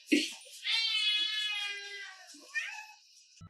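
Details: Orange domestic cat, a male, talking back to his owner indoors with a long drawn-out meow, harmonic and steady, ending with a short second chirp; a man's voice is heard before it.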